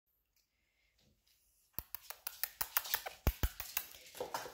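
Near silence gives way to a run of sharp, irregular taps and clicks indoors, with no animal voice.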